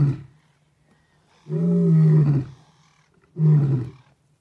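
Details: A giant male lion (Panthera leo) gives deep, rumbling roars as he walks past a vehicle, each roar swelling to a loud peak before fading.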